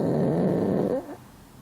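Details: Sleeping pug, a flat-faced dog prone to snoring, gives a loud rough snore lasting about a second, with a low, noisy, rasping texture that falls away abruptly into quiet breathing.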